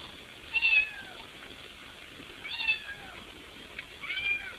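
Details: A cat at a window, trying to get inside the house, gives three drawn-out meows, the first loudest, each a bending wail that falls away, separated by about two seconds of quiet hiss.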